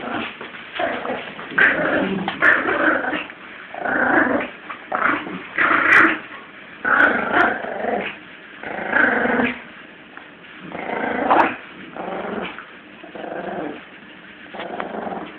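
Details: Seventeen-week-old Yorkie puppy Lulu growling during a tug-of-war game with her Jack Russell friend Eddie; throaty, grainy growls rise and fall in uneven bursts, with brief quiet gaps and occasional higher squeaky edges.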